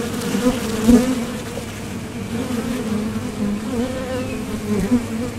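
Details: At the doorway of a Top Bar Hive, honeybees depart for nectar and return. A deep, even drone with a faint higher overtone, and one brief louder swell near the first second.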